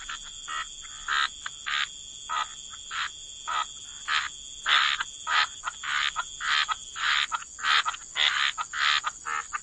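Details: Waterside frogs giving repeated harsh croaks, roughly a hundred a minute, starting sparse and quiet then growing louder and denser toward the end, against a steady high-pitched background tone.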